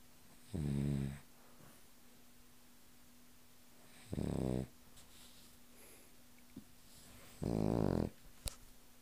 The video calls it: Cavalier King Charles Spaniel Snoring